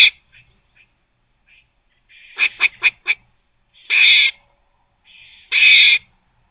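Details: Squirrel barking while teething. A few faint soft notes, then four quick harsh bursts close together, followed by two longer, louder rasping barks about one and a half seconds apart. The setting is otherwise quiet.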